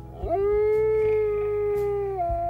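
A grey wolf gives a long, steady howl that slides up, holds level, then drops at the end.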